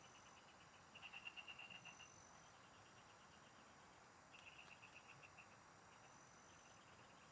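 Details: Frogs singing in rice fields, recorded while fishing in the countryside: two bursts of fast, evenly pulsed mid-pitched calls, each train lasting about a second, over a steady thin insect whine and soft background hiss.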